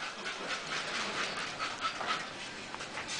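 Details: Masseter Alanis, a female Bull Terrier, panting: soft, breathy huffs repeated quickly and fairly evenly for about three seconds, quiet and close, with no barking and no other clear sounds.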